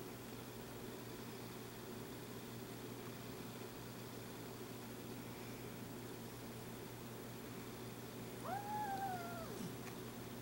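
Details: Domestic cat vocalizing while dreaming in its sleep: a single soft, brief meow-like chirp near the end, otherwise steady low background hum indoors.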